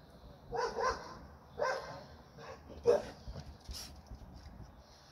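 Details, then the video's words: American Pit Bull Terrier barking: three short harsh barks spaced about a second apart, each a broad burst, followed by a softer higher yelp near the end; quiet background. "pitbull amerikan"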